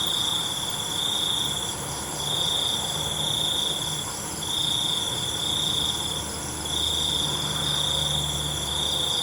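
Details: Crickets calling after dark, their sharp, sustained trill pulsing in waves of roughly one to two seconds, with a dense background of high insect buzzing throughout.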